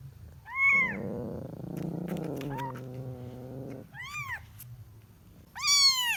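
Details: Kitten meowing while looking for its mother: three high, arching cries with rich overtones at the start, middle and end, separated by a lower, steady droning sound.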